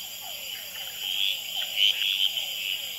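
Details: Red-eyed treefrog males at the Experimental Pond, Gamboa, calling and fighting on a potted plant at night, recorded with an infrared Sony Nightshot. A few brief, loud chacks stand out above a steady background chorus of quick, falling notes from hourglass treefrogs and other frogs.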